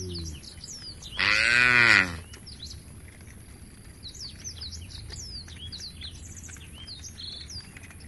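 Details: One loud, bellowing moo under a second long from a tame herd of cows walking toward a forest-edge field, followed by quiet with many birds chirping and tweeting.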